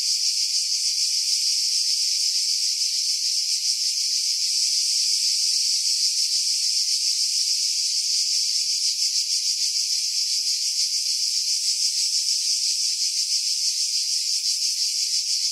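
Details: Continuous shrill cicada chorus from pine trees above Pefkos Bay on Skiros Island, Greece, July 2018; the harsh high hiss stays steady throughout, with fine rapid pulsing, and wind noise has been filtered away.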